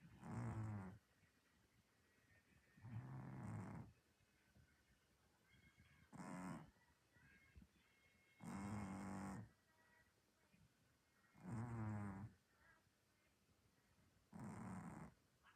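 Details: Orange domestic cat snoring while dreaming after an active day; deep, rumbling snores about every two to three seconds, six in all, each lasting roughly a second, with quiet breathing between.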